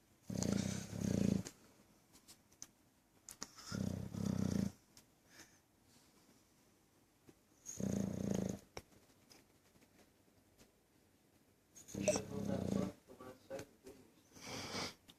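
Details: Bulldog, a loud snorer, asleep indoors: deep rasping snores in bursts about every four seconds, each roughly a second long, with quiet breathing between.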